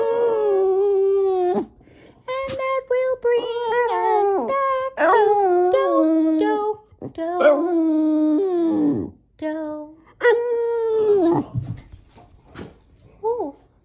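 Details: Boston Terrier indoors howling along to the tune "Do-Re-Mi" from The Sound of Music: drawn-out wavering howls that bend and slide downward, broken by short yips and whimpers, with brief pauses between phrases.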